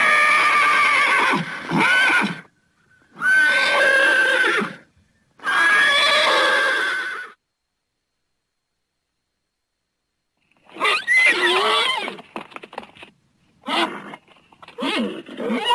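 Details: Neighing Thoroughbred horses give three long harsh whinnies separated by short gaps, then a silent stretch, followed by a series of shorter, choppier neighs and snorting bursts.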